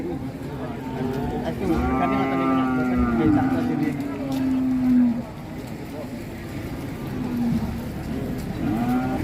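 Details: Giant Pegon cattle at a packed cattle market in Indonesia; a deep, sustained moo of about three seconds that sags slightly in pitch, with a shorter moo later, amid traders bargaining over weight and background music.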